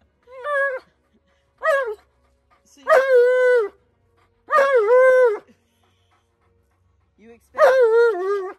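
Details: Tonka, an Alaskan Malamute, demanding and yelling: two short rising yelps followed by three long, bending, harmonic talking-howls spaced by quiet gaps.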